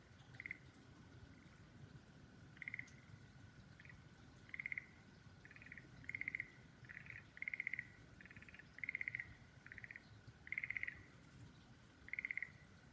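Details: Frogs calling beside cherry trees in full bloom: short trilled pulses repeated in bursts roughly every second, some doubled or tripled, over a steady faint hum and low background noise.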